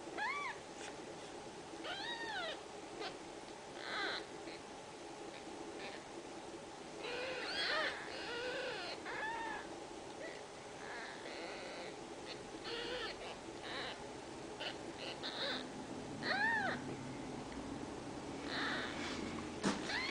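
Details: Ragdoll kittens in a central Kansas home cattery, raised without cages, make scattered short arched meows among rustling and low household rumble, with busier clusters of cries in the middle and near the end.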